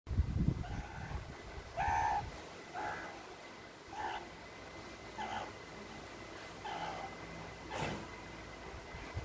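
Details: A pet meerkat gives short, nasal, mid-pitched chirps, repeated about once a second over a low rumble.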